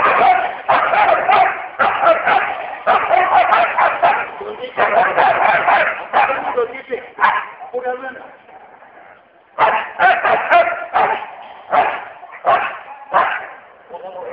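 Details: Two Siberian Huskies fight, with rapid, harsh snarls and growling barks in quick bursts.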